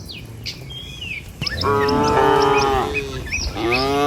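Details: Tame cattle from a herd of dozens walking over a river bridge toward a village field at morning; after quiet bird chatter, one sustained, steady moo lasts over a second, then another begins as birds keep chirping.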